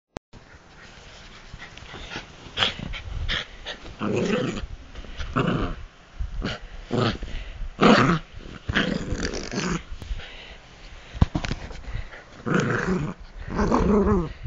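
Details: Bichon Frise dog, excited at bedtime, attacking feet and hands and bouncing indoors; bursts of rough growling and snuffling come in short irregular bouts with brief pauses between them.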